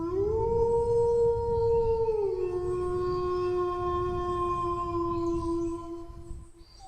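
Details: Long sustained dog howl, a steady tone that drops slightly in pitch after two seconds and holds for several more, rich in harmonics, over a faint low rumble.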